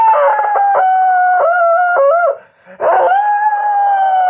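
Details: House dog howling: a long wavering howl with stepped pitch shifts lasting over two seconds, a short break, then a second, steadier howl that slowly falls in pitch, with rich ringing overtones and no other sounds.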